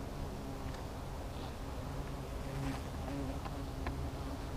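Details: Hornets at their nest, the low droning buzz of many wings humming steadily with faint harmonic bands, occasional soft clicks and brief higher ticks over the hum.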